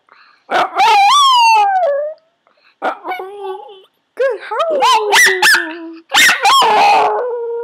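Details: Yorkshire Terrier being taught to howl on command by shaping: a series of tonal, wavering howls sliding up and down, with short breaks between bursts and several high yelping notes mixed in.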